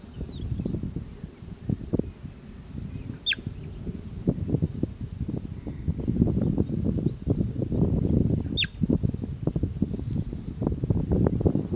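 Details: Two clipped, high whistles of a bobak marmot, each a quick downward sweep, separated by about five seconds, with busy low rumbling and scuffling noise throughout.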